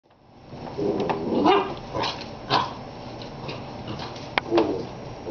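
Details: A 10.5-week-old Basset Hound puppy gives a few short, whiny yelps with brief pauses between them.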